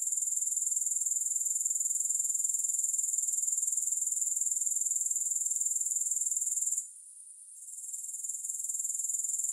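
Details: Continuous high-pitched rasping drone from grasshoppers, with no music. The trill pulses evenly about four times a second, then drops away for under a second near the end before returning.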